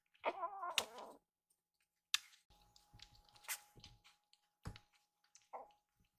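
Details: Rescued baby kitten, indoors after begging for food and now drowsy; one loud, drawn-out, wavering meow near the start, followed by clicks, rustles and taps of movement and a faint steady tone in the background.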